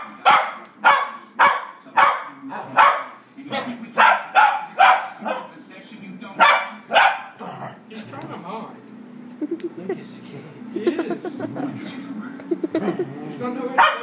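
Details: Play fighting between a four-year-old female dog and an eight-week-old puppy, their first such bout. A fast run of about a dozen loud, evenly spaced barks gives way to low growling, with faint speech.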